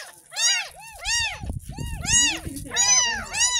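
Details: Kitten aged ten days, bathed for the first time after being found in a drain by a house, meows insistently about once every half second, six arched cries in a row, with low voices and music in the background.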